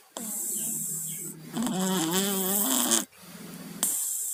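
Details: Tayen and Lilu, two cats suffering from colds, snoring in their sleep: a steady nasal rasp, then a louder wavering snore with a gurgling, rippling tone, a brief pause, and the rasp again.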